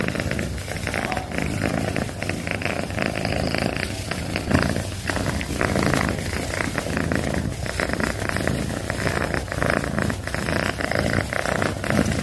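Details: Pet cat purring loudly at close range, a continuous low rough rumble with a fast pulsing texture that keeps an even level from start to finish.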